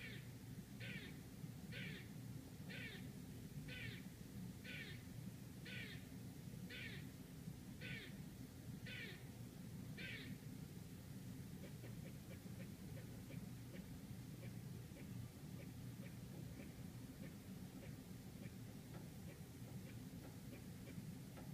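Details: Manhattan squirrel outside an apartment, New York City, giving ten harsh raspy barks spaced roughly one second apart, then faint quick chips continuing over a constant low rumble of urban traffic.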